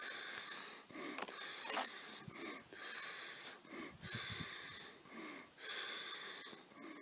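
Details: Wheezing, hissing calls of a black wallaroo about 150 metres distant, filmed on an iPad near a campfire; uneven bursts of roughly a second, broken by brief clicks.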